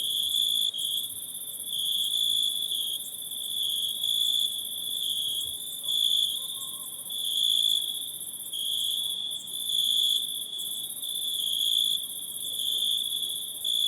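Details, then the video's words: Insects heard at night in the forest, a constant piercing trill and fine high hiss continuing throughout, swelling and fading slowly in long waves, with a faint brief tone in the background. "Night in the Forest(Insect Sounds)"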